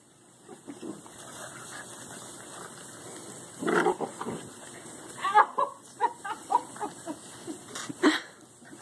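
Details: Seven-week-old Great Dane puppies give small, rough growls and squeaky yips in bursts while play fighting.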